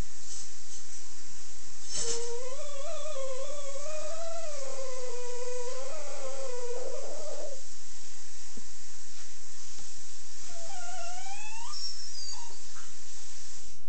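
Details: An Italian Greyhound gives a long, wavering, nasal whine, then a shorter rising one, as its owner asks what is wrong.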